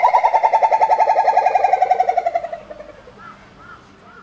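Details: Two gibbons at Maruyama Zoo sing while swinging arm over arm. Rapid pulsing hoots come about four per second, slowly falling in pitch and fading over two and a half seconds. A few soft rising-falling whoops follow.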